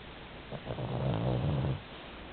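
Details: Sleeping 11 kg Pomeranian giving one drawn-out, low, rattling snore lasting just over a second, deep and throaty like an old man, against a faint indoor background.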